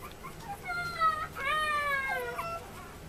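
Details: High, drawn-out whimpering from a male Chihuahua puppy born 30 July 2014 at a Yokosuka, Kanagawa pet shop: two long, tonal whines, the second rising and then sagging, over quiet indoor background hum.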